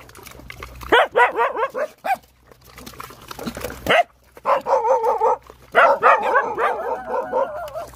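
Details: Rottweiler mother nursing hungry puppies: bursts of rapid, high whimpering and squealing notes in quick strings, with a steady low hum underneath.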